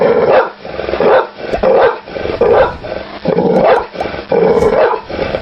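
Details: Domestic dog barking in a run of about six loud, harsh, rough-edged barks, spaced unevenly roughly once a second, with a strong mid-pitched core and no other clear sounds.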